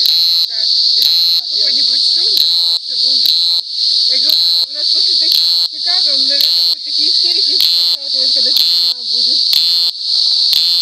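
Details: A cicada keeps up a shrill, unbroken high buzz, pulsing rhythmically about once a second into brief harsher bursts, while soft wavering lower-pitched sounds drift in the background.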